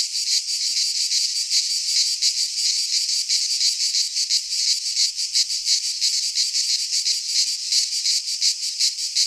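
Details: Cicadas of a Greek pine forest singing in midsummer, their shrill electric-sounding drone pulsing rapidly and evenly, a constant wall of insect sound.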